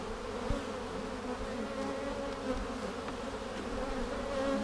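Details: Honey bees inside a hive seven days after a vertical split using a double screen divider board, inspected on March 10, 2019, for queen cells; a steady, uninterrupted low humming buzz fills the whole stretch, with one faint tap.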